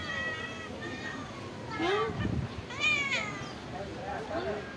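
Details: Several meows from stray cats living at a pagoda while being fed rice and fish: harmonic, arching calls overlapping one another, with a person's speech and low rumble underneath.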